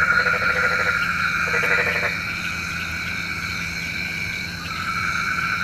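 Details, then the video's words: Frogs at night, said to call rain: two quick rattling croak bursts in the first two seconds, then only the steady high-pitched drone of the surrounding night chorus. "SUARA KODOK KATAK | Panggil Hujan"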